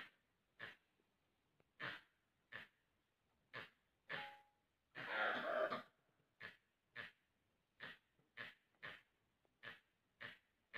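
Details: A barking deer at Bandhavgarh Tiger Reserve gives sharp, hoarse barks again and again, an alarm call as a tiger goes out to hunt.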